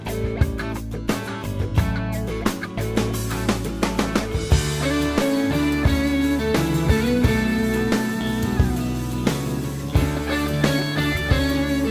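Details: Driving rock music with electric guitar and drum kit plays steadily, with no animal sounds present.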